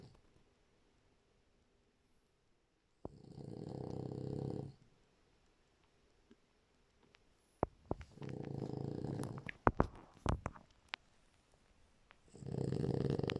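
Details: French Bulldog snoring in sweet sleep, three drawn-out low rasping snores spaced about four seconds apart, with scattered sharp clicks and rustles between them.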